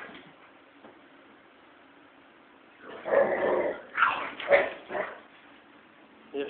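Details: Two vocal American Pit Bull Terriers, Cyrus and his daughter Leia, growl during rough play. After a quiet stretch comes a run of harsh growls and yips, with a man's voice talking to the dogs.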